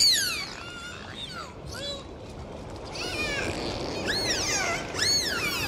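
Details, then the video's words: Dolphins recorded in the sea on a dive: a series of high, looping whistles that sweep up and down with bright overtones, clustering near the end in quick arching calls over steady underwater hiss. "Sound of Dolphins"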